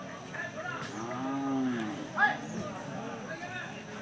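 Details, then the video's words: Hallikar cattle at the Jodugatte cattle market, a farmers' gathering: one low, drawn-out moo with rich harmonics lasting under a second, rising slightly then falling, set against steady crowd chatter and market bustle. "ಜೋಡುಗಟ್ಟೆ ದನಗಳ ಸಂತೆ"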